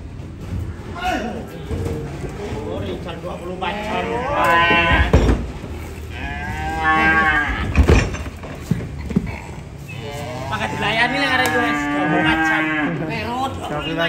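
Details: Cattle being unloaded give several long, drawn-out moos with rich, wavering tones, some rising and falling. Steady handling noise and clatter run underneath throughout.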